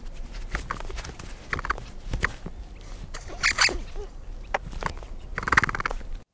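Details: A capybara gives a run of sharp clicks and short squeaky, grunting calls.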